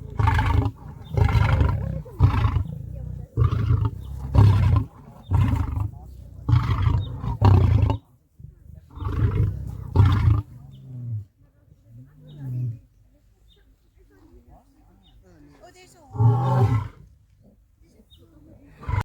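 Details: Lion roar used to communicate location, show strength and warn off lions from other prides, audible up to five miles: a series of deep, rumbling grunts about one per second over ten seconds, then a final low burst.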